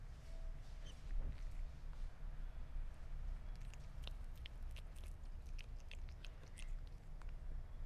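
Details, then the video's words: A Sphynx cat chewing meat gives sparse moist clicks at first, then busier bites toward the middle and end, above a low steady rumble. "Gato Esfinge Comiendo Carne"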